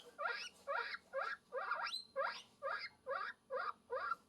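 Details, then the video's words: Guinea pig calling out for love: a steady series of short, squealing upswept wheeks, roughly two per second and evenly spaced, with one longer rising whistle near the middle. "Guinea Pig Call For Love, Sound Of Love"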